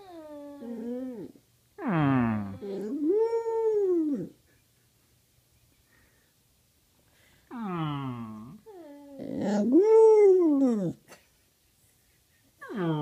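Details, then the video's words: A dog howling lazily indoors: long, wavering tonal howls that rise then fall, in three bursts separated by quiet pauses, with rich harmonic overtones and a small-room feel. "Penny howls lazily"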